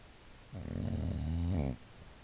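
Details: Sleeping female Boxer snoring in a small room, a single deep, buzzing breath lasting over a second, the rattle wavering slightly in pitch before cutting off sharply into near silence.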